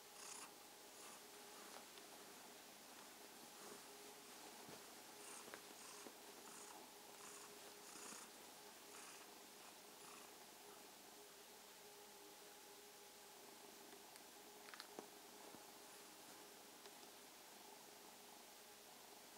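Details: A kitten purring in greeting one evening, soft rhythmic raspy pulses clearest early on, later blurring into a continuous low rumble, with scattered taps and a faint steady hum.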